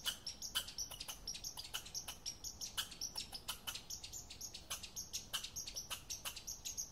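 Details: Rapid, clicking chuck notes from an American red squirrel, about three to four per second, crisp and high, running continuously through the short stretch.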